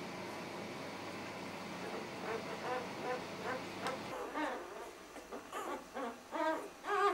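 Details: Two-day-old puppies of a C litter give short, high squeaky whines in uneven bursts during the second half, following a stretch of low hum and room noise.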